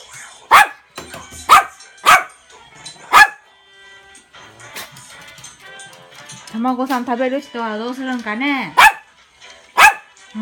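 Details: Male toy poodle, the younger of two house dogs, excited while waiting for an egg, July 2016. Loud single yaps spaced about a second apart, broken by a woman's sing-song coaxing voice and faint background music.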